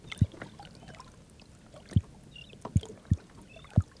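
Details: A freshly caught red drum, thought to be a male from its dark back, gives deep, thumping pulses about a second apart by vibrating muscles around its swim bladder, probably used in breeding season to attract mates; Lowcountry coast.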